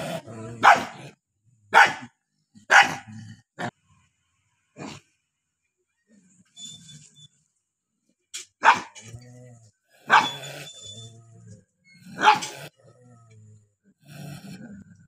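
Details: Two angry dogs barking in irregular bursts, loud sharp barks spaced a second or more apart with quiet gaps and low growly sounds between them.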